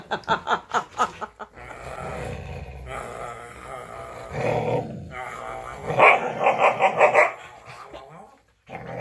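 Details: Female Siberian Husky kept as a pet, pinning her owner in nightly play, giving a quick series of short, rhythmic, harmonic woo-woo grumbles and growly vocal bursts, mixed with laughing, chatty human speech throughout.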